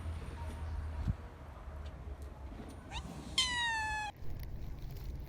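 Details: Stray cat in a park or street giving one clear, long, falling harmonic meow near 3.5 seconds, preceded by a short faint mew, with low background rumble and Turkish speech nearby.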